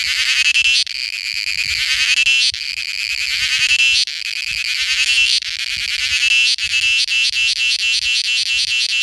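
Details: Indian cicada giving its mating call: a loud, high, shrill buzzing drone broken into bursts roughly every one to two seconds, with rapid pulsing toward the end.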